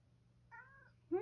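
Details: A male rescue cat meows to lead the grandmother to the kitchen for a late-night snack. One short, clear meow that bends slightly downward, then the loud start of a second meow at the end, over a low steady hum.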